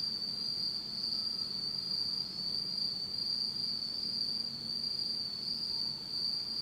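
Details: Insects singing on an autumn night in Japan in complete darkness, a dense unbroken high trill droning throughout, a faint thinner tone above it and a low murmur beneath.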